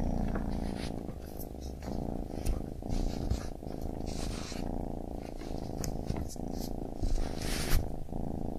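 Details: Steady purring from a baby kitten: a deep, pulsing rumble that swells with each breath, broken by soft rustling and brief higher scuffs.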